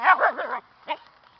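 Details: Young Siberian huskies give a wavering, warbling whine that rises and falls in pitch for just over half a second, then a single brief yelp follows after a short pause.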